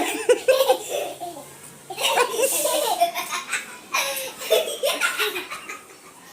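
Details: Hearty bursts of human laughter and giggling, mixed with speech in a small indoor room.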